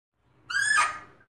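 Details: A single Fea's muntjac bark: a brief harsh, rasping cry that swells quickly, peaks, then tails off within under a second, with no other sounds.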